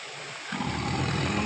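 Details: Sumatran tiger caught in a trap at Tapaktuan, South Aceh, Indonesia, after it had troubled local residents; a deep, rumbling roar starts after a brief quiet moment and holds as a steady low growl over a constant background hiss.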